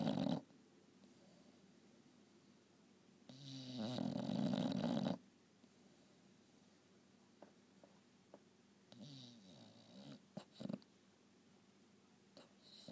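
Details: English Bulldog napping indoors: a single loud, rasping snore of about two seconds stands out, followed by a long quiet stretch broken by a few softer snorts and short clicks.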